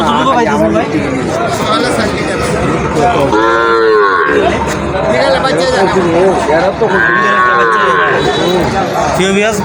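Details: Local cows and calves at a Habiganj cattle market held every Tuesday: two long, harmonic moos in the middle of the recording, each lasting about a second, over constant crowd talk and market bustle.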